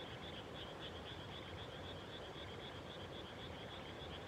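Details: Frogs calling in the countryside at dusk just after rice planting; a faint, continuous ringing chorus of many callers sits over a steady low rumbling background.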